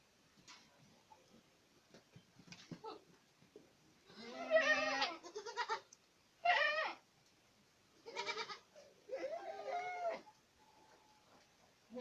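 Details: Several harsh, quavering Boer goat bleats, recorded in Acatlán de Osorio, Puebla. They come in irregular bursts about every second or two, with quieter rustling between calls.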